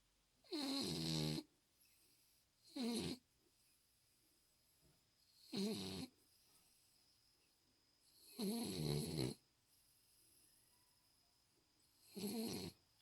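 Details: Snores from Chyongi, a recovered pet Spitz dog, asleep indoors: five short, rough breath bursts at uneven intervals over thirteen seconds, some brief and some drawn out, with near silence between.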